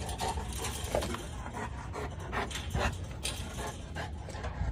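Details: Large female Boerboel breathing hard in uneven breathy pants, soft airy puffs of varying strength with occasional faint whiny tones, over a steady low rumble.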